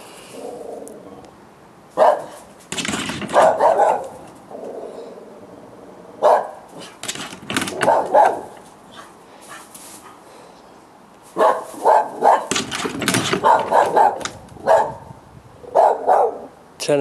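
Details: Dogs barking at night around 10 o'clock on 18 July 2013, a nightly nuisance; sharp bursts of barks spaced irregularly with quiet gaps, some in quick clusters, several dogs sounding together.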